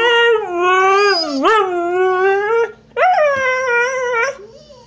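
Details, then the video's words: Female husky complaining with howls because another dog took her bone; a sustained rising howl that dips into a sharp yelp-like break, continues wavering, then after a brief gap a second rising, slowly falling howl trailing off. "Husky complains about stolen bone"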